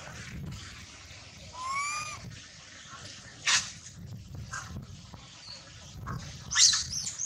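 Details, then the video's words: Baby monkey Lola crying in pain after sliding down from a high tree: one thin rising wail with stacked overtones, followed by harsh noisy squeal bursts over a low background rumble. "Lola cry cry hurt too much"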